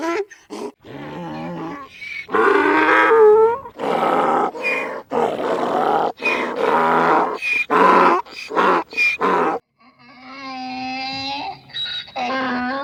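A donkey gives a long bray, alternating rough, breathy intakes with louder, tonal honks. The see-sawing hee-haw repeats in quick succession before ending in a drawn-out, wavering note.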